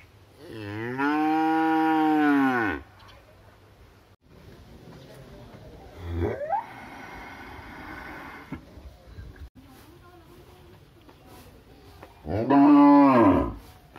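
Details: Cow mooing in a village: two long, deep moos that swell and fall in pitch, one early lasting about two seconds and another near the end, with quieter rustling and a short rising call in between.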